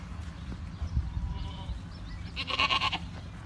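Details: A single short, harsh, quavering bleat from a farm Boer goat, preceded by soft low bumps and a faint higher call over background hum.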